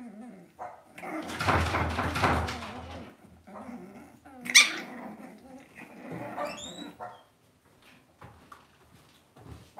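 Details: Cavalier King Charles Spaniel puppies kept in a home pen: a loud rustling burst, then a single sharp yelp and a short high rising whine, followed by quiet shuffling.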